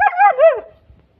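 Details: Male German Shepherd puppy giving a single short, high wavering whine that rises and falls, lasting under a second, after a voice calls out "again"; quiet afterwards.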